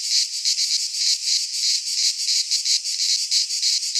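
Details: Midsummer cicada chorus from a pine forest in Greece, a harsh high buzz throbbing in uneven surges roughly every half second, unbroken for the whole stretch.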